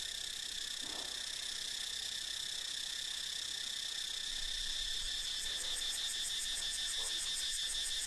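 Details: Tosena albata cicada calling, a dense continuous high-pitched buzzing drone held steadily throughout, with a faster pulsing rhythm emerging in the upper register toward the end; part of a combined recording of various cicada species.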